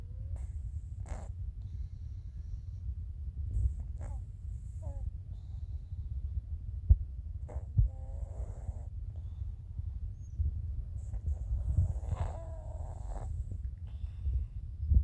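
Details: Sleeping cat snoring until it wakes itself up; low, rough breathing rumble runs steadily throughout, with a few faint higher squeaky or vocal sounds in the middle and near the end.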